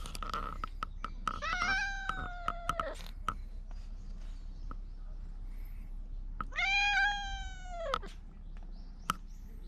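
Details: Stray cat on the Fukugi-lined lane at Bise, Okinawa, Japan, calling out loudly as if appealing for something, GoPro 9 audio: two long, drawn-out, strongly harmonic meows, each over a second, with scattered clicks between.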